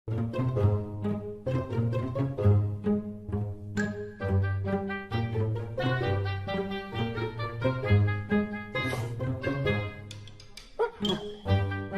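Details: Plucked and bowed low strings play a lively tune throughout, with no animal sounds.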